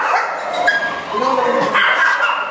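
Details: At the vet, Char Siew the dog, who hates needles, keeps up a shrill, wavering squeal during a blood draw, yelping in bursts while people talk over him.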